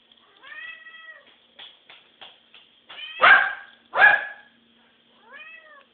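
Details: Pet cat 跳跳 begging for food, meowing repeatedly: a harmonic meow at the start, several short soft chirps, two loud strained meows around 3 and 4 seconds, and a final arched meow.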